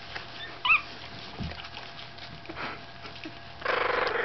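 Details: A 15-day-old Staffordshire Bull Terrier puppy gives one brief, high, squeaky whimper.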